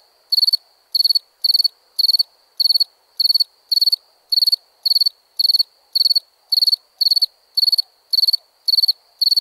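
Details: Crickets chirping at night: a steady series of bright, high-pitched trilled chirps, roughly two every second, each a quick burst of pulses, with a faint low murmur beneath and nothing else clear.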